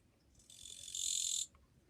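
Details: Song of a Japanese katydid recorded on 2 July 2023, a fairly quiet singer: a single high, dry buzz swelling in loudness for about a second, then stopping abruptly.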